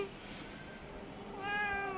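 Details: Domestic cat giving a brief, fairly soft meow near the end, after a long stretch of low background hum.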